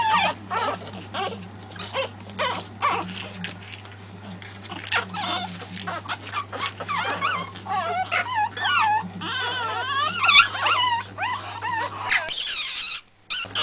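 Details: A litter of Pekingese puppies, three weeks old (Terasroos MJ litter), gives soft, scattered whines over a constant low hum, building to louder, warbling cries near the end before a short silence.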